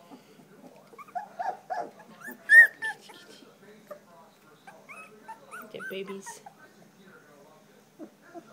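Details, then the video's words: Three-week-old standard poodle puppies from the Star and Levi litter squeak and whine in short, high, bending notes scattered across the clip, one louder yelp near the middle, with a faint low hum beneath. "Standard poodle puppies - 3 weeks old"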